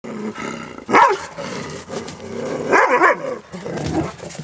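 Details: Gemma, a Dobermann with high drive, bossing the other female dogs around without trying to fight: two loud, rough, wavering growl-whines, each about half a second, around one and three seconds, with a person's voice telling her to knock it off.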